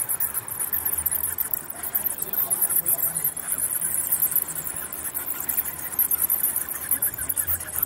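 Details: Bats chittering nonstop: a dense, high, rapid scratchy chatter of many overlapping squeaks runs steadily throughout, over a low background rumble.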